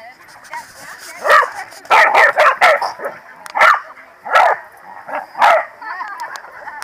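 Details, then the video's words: Corgi barking during the PWCCGS NJ Corgi Funday Sunday, New Jersey, 2017: clusters of hoarse barks, some doubled, others single and spaced, amid talking people. "Corgi Feared Gang - Rumbles"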